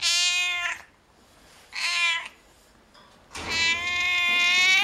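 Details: At a veterinary clinic, cats meow three times: a short bright meow, a second brief one after a pause, then a longer, strained, sustained cry.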